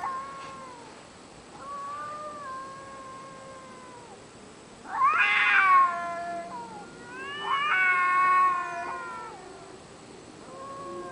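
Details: Late-night caterwauling from cats outside a window: long, mournful, wavering yowls overlapping, with two louder harsh, strained wails swelling up midway, then dropping back to lower drawn-out moans.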